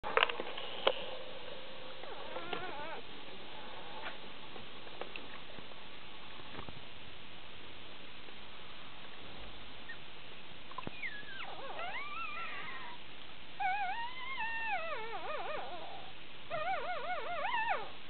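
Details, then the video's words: Six one-day-old Shiba Inu pups, born June 13th 2010 in Belgium, making noises while drinking; quiet suckling and shuffling at first, then wavering, rising-and-falling high squeals in short bursts near the end. "6 one day old shiba pups drinking and making noises"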